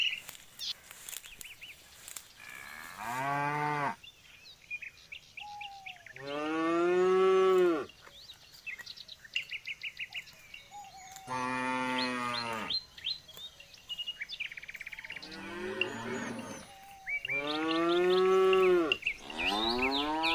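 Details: Jumbo bull calling again and again, five or six moos spaced a few seconds apart, each a rising-then-falling harmonic bellow; the strongest ones swell loud, while small birds chirp and whistle in the gaps.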